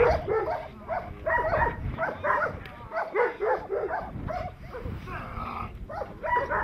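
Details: Perro de Presa Canario barking during protection training: bursts of deep, rough barks repeated in quick runs, with harmonics stacked up the range, some overlapping human shouting and background noise throughout.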